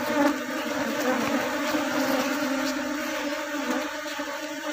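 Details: Many honey bees humming at an open hive while a beekeeper reduces drone numbers to avoid swarm splitting; an even, sustained buzz with a steady low tone and overtones, slightly fading toward the end.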